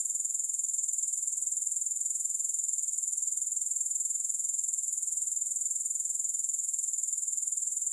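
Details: Grasshoppers chirping, with no music added: a steady, high, hissing trill made of fast, even pulses, holding unbroken for the whole stretch, with no other sounds.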